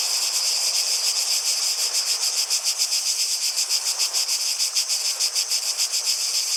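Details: Cicadas singing outdoors: a dense, continuous high buzzing chorus pulsing rapidly, around three pulses a second, with soft broadband hiss of water or footsteps faintly underneath.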